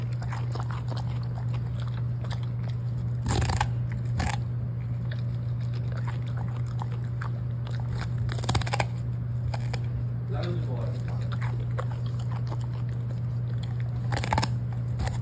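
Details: Golden Retriever pet dog eating cabbage, a favourite snack, indoors: loud broadband crunches near 3, 4, 8.5 and 14 seconds between softer wet chewing and munching, over a steady low hum.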